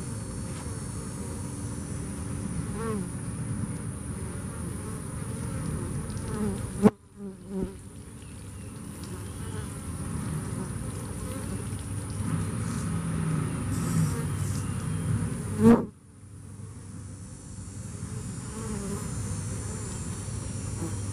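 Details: Bees that lived through Hurricane Harvey hum in a low, steady drone, interrupted by two abrupt bangs with brief dips, at roughly seven and sixteen seconds.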